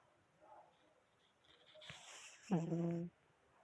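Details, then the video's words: Sleeping kitten snoring indoors: a soft breathy inhale, then a short wheezy, buzzing snore held at a steady low pitch for about half a second, in a quiet small room. "snoring kitten"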